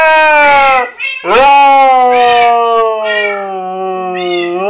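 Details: A husky howls at cats in the game Minecraft, giving a series of smooth, gliding tonal howls, each starting high and easing slightly lower, strung almost continuously together.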